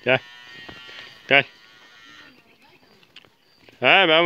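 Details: Calves in a yard in their new home, brought out because it is too hot indoors; three short harmonic bleating moos, the last one longer and louder, with a man calling to them between.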